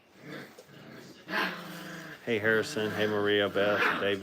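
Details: Five-week-old Brittany puppies in a crate at a training kennel: after a quiet start, wavering, whiny tones rise and fall in overlapping bursts during the second half, with rougher growly edges and faint background voices.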